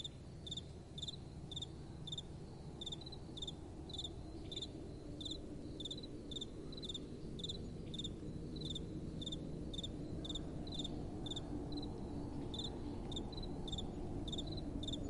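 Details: Crickets singing through the night: a long, even series of high pulsed chirps about twice a second, with a soft wind rumble rising and falling underneath.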